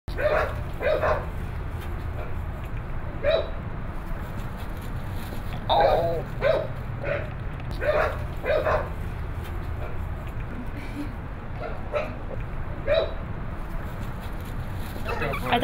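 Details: Chow Chow puppy trying and failing to jump, letting out short, high yips in irregular bursts, sometimes in quick pairs, over a constant low rumble of background noise with faint speech.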